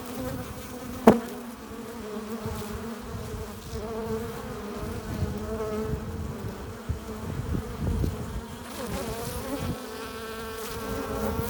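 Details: Foraging honey bees return to the hive with pollen and nectar, filling the entrance with an unbroken multi-toned hum; a sharp tap early on, and nearby bees repeatedly drifting louder and softer.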